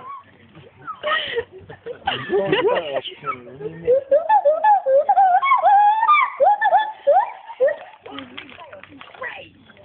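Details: Male agile gibbon Paul, held at Monkey World, calls a quick series of wavering, rising-and-falling hoots in the middle of the recording. Speech and laughter-like human sounds come before it and fade out after.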